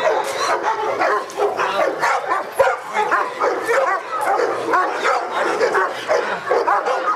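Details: Barking Presa Canario, Felipe de Ironbull of King Zulu kennel, being tested in protection work for AVD e.V.; short harsh barks come several per second in an unbroken volley, with a sharp knock partway through and some speech beneath.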